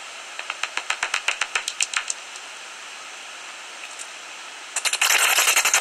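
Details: Common noctule bats at their roost in a tree hollow near Ibbenbüren, Germany, on 17 August 2019, fifteen minutes before sunrise. A quick run of sharp, dry ticks, about four per second, then a pause before a louder, hissing burst of clicks.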